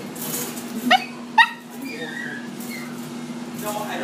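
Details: Poodle giving two short, high yips about half a second apart, followed by softer whining tones, with a steady low hum and music in the background.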